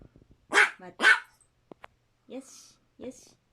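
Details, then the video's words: Indoor female long-coat Chihuahua, born 2010, lets out two sharp, loud barks about half a second apart, followed by soft clicks and two faint voiced sounds after a person's wait commands. "ロングコートチワワの鳴き声集 キュンキュン可愛い鳴き声から唸り声まで♪ Long coat chihuahua cry"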